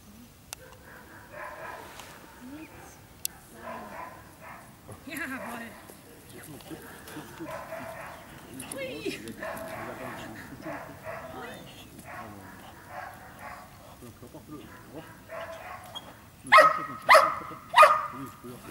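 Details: Giant Schnauzer barking: indistinct human talk fills most of the stretch, then three loud, sharp barks burst out in quick succession near the end, roughly half a second apart.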